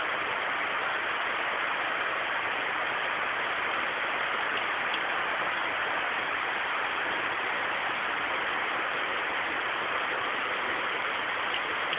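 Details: A steady, even hiss like rain or passing traffic fills the recording, with no animal voices.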